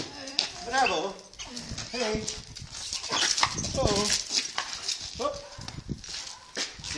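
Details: Black German Shepherd during protection training, giving short harmonic barks and yelps in bursts, with a handler calling out praise such as "bravo" and other voices nearby.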